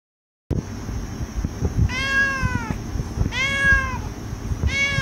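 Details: A sleepy cat gives three drawn-out meows about every one and a half seconds. Each is clear and tonal, rising slightly and then falling, over soft rustling and low background noise.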